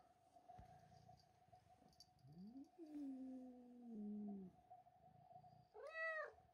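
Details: Domestic cat named George growling and yowling, angry at a young kitten named Milo who came into the house and stole his tuna; low drawn-out growl sliding down, then a short high harmonic-rich wail near the end, steady background hum.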